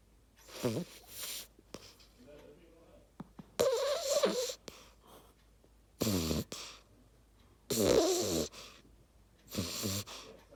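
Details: Beagle puppy, a female, asleep and snoring: raspy, breathy snores in bursts about every two seconds, each rough wheezing breath lasting under a second, separated by quiet pauses.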